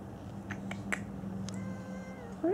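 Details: Kittens playing with golf balls in a garage: light clicks and taps, then a drawn-out, steady meow, and a rising meow beginning right at the end.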